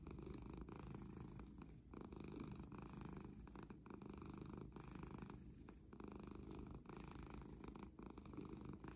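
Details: A pet cat purring steadily, a low, rough, continuous rumble pulsing in soft waves throughout, recorded close and quiet.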